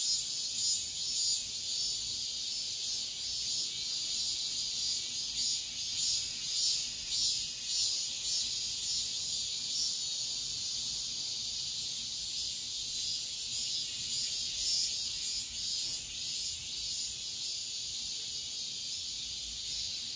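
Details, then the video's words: Cicadas at midsummer dawn produce a continuous, shrill, ringing buzz that throbs in fairly regular beats, strongest early on and easing slightly toward the end, with nothing else clearly heard. "새벽매미소리를 들어보자"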